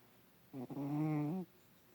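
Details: Adopted domestic cat asleep in a person's lap for the first time, snoring loudly with body convulsions; a single low, droning, harmonic snore lasting about a second, in a quiet indoor room.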